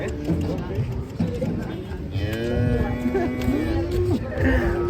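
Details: Cow lowing beside a truck while a man repeatedly calls "mundur" to back it up; a drawn-out moo rises and then holds level for over two seconds, with a shorter bellow at the end, over engine noise and talk.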